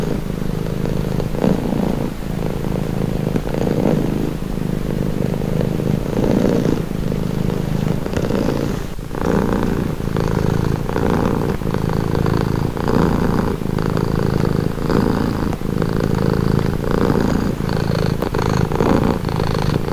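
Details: Close, continuous purring from a house cat: a low buzzing rumble swelling with inhale and exhale cycles about every one to two seconds, with occasional soft clicks and a faint higher hum.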